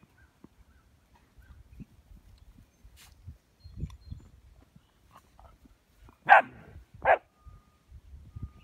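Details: German Shepherd Dog and a puppy, 6½ and 10½ weeks old, playing in morning snow on the first day of spring in Ohio; soft rustling and trampling give way to two loud, sharp barks about a second apart.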